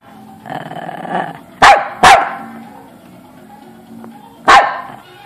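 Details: Dog barking: three sharp, loud single barks spaced irregularly, the first two close together and the third after a pause, over a soft low murmuring, tonal background.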